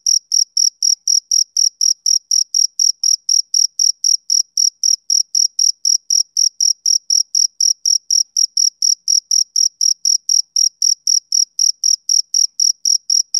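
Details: Rhythmic chirping of a male cricket during a summer evening: piercing, evenly repeated pulses at close to four per second, loud and clear throughout, with no wind, voices or other creatures.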